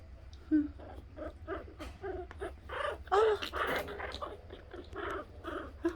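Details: Chihuahua puppies squeal, whine and give small growls as they start fighting and tussling, even going for their mother, with a person talking nearby.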